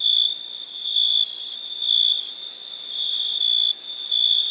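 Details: High, clear cricket chirps at night: short loud trilled bursts of about a quarter second, repeating close to once a second over a faint steady hum of other insects.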